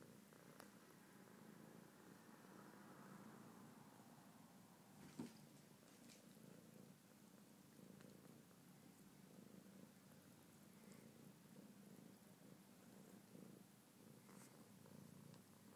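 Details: Continuous deep rumbling purr of a male house cat entranced on a blanket, even and unbroken throughout, with occasional soft clicks and rustles in a quiet room.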